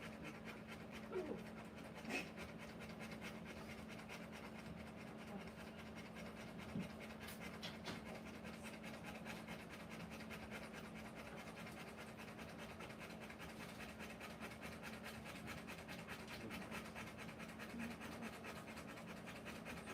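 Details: Rottweiler mother giving birth to puppies, panting in fast even breaths that run unbroken for the whole stretch, with a few soft knocks early on and a low background hum.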